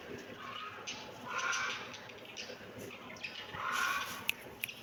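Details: Kittens meowing: two high, thin mews, one near the middle and another toward the end, with faint clicks and quiet room noise between them.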